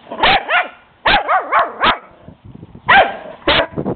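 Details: Playful barking from a small Shih Tzu pup at the larger neighbouring dog. Quick clusters of two to four loud, ringing barks, some bending down in pitch like yelps, with brief pauses and soft shuffling between.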